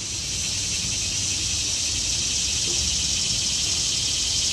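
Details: Cicadas in the trees in autumn, a steady unbroken high-pitched buzzing drone holding level throughout, with faint low rumble beneath.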